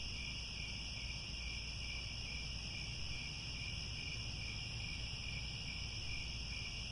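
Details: Grassland crickets at Angkor Wat, Cambodia, calling at sunset: many insects blend into a constant high-pitched buzzing drone in layered bands, with faint low background rumble and no pauses.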